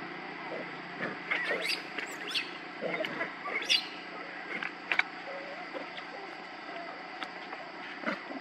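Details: Baby monkey Leo crying as it begs its mother for milk: harsh, rising squeals and screeches in quick, uneven bursts through the first four seconds, then sparser cries over a steady background hum.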